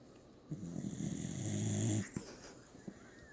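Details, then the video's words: Dog snoring while asleep indoors, a long low rumbling snore swelling over about one and a half seconds before a short catch and softer breaths. "Snoring dog"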